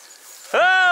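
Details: On a driven fox hunt in Victoria on 23 October 2022, a Dachshund gives a sudden, sustained tonal yelp with a rich harmonic ring, holding a steady pitch after a sharp onset, with a soft outdoor hush before it.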